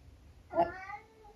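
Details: A short, sharp meow from Eric, a 12-year-old UK tabby known for having something to say, opening loud then tailing off into a thinner drawn note indoors.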